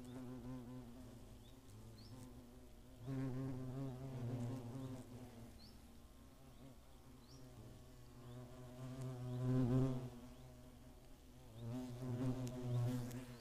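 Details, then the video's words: Hornets at their nest in the Eifel near Greimersburg, Germany, on 15 August 2017: a low droning hum of many wings with swelling louder passes as individuals fly close, then fading. "Hornissen am Nest"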